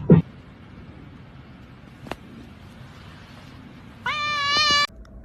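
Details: Pet cat letting out a single drawn-out, steady meow of under a second, following a quiet stretch with a couple of sharp clicks and low room hum.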